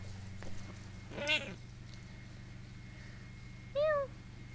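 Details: Pet cat indoors giving two short meows, one around a second in and a clearer, arched meow near the end, over a steady low electrical hum with some soft handling noise.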